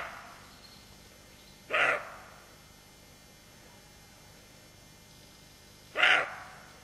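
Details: Watchful roe deer doe, her fawn beside her, gives two abrupt, rough barks about four seconds apart, each brief and breathy. Faint hiss between them.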